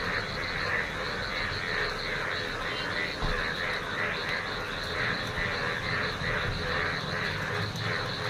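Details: A dense chorus of yellow frogs jumping in a rain-flooded field on a rainy morning, many voices blending into a steady, pulsing trill over rain background noise.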